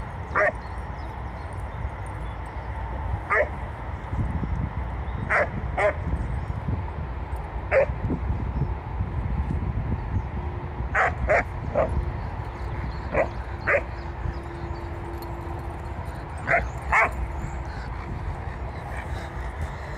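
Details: Two Leonbergers, Luis and Elin, eleven years apart in age, barking in short, sharp bursts, some in quick pairs, about fifteen barks spread irregularly over twenty seconds, with a faint steady tone midway and low background rumble.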